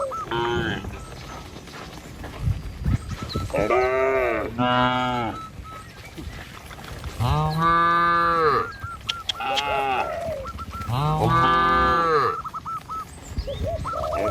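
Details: Cattle herded along a village road past green trees and rice fields toward a pen: about five deep, drawn-out moos, some rising then falling, scattered over the recording, with repeated short honk-like notes between them.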